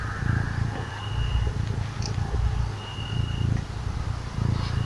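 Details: Small cat being petted, purring: a deep, even rumble pulsing with each breath about once a second, close and steady, with a faint high tone in the background.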